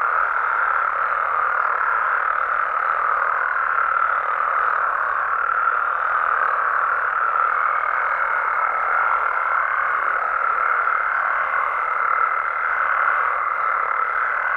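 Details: Many frogs calling together at night in Mexico, a thick constant croaking chorus without breaks; from about halfway a thin steady higher-pitched tone joins and holds to the end.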